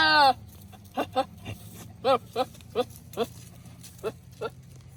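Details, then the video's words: Nigerian Dwarf goat, a male controlling his herd on a ranch: a clipped scream at the start, then about ten short, hoarse, dog-like barks spaced unevenly over four seconds, with a low background hum. "My Goats Screaming As If Human"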